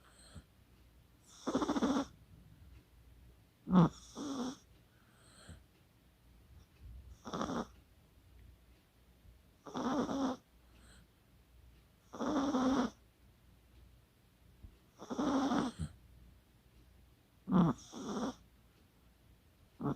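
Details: Kaka, a Chihuahua, snoring in sleep on 24 October 2020: eight raspy snores over twenty seconds, roughly every two and a half seconds. Some come as quick double snorts. The room is otherwise still.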